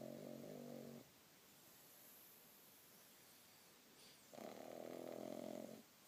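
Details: Bobby, a six-month-old pug, asleep under a duvet in bed and snoring: two soft, droning snores about a second long each, separated by quiet breathing, in a small indoor room.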